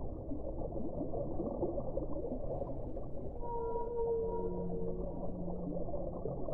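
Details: Whale song: after a stretch of steady deep underwater rumble, long level tonal notes with several harmonics rise into view and hold for about two seconds before fading back into the noise.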